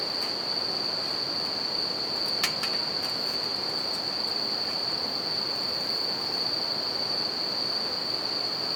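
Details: Nighttime chorus of bell crickets by a river and campfire, a continuous shrill ringing held at one high pitch throughout, layered over steady river noise, with scattered snaps of burning wood around the middle.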